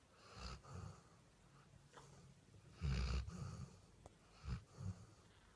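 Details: Sleeping Labrador Retriever Vini lying on the bed, giving wheezy, snorting snores of uneven length, one loud long snore near three seconds and short snorts after it.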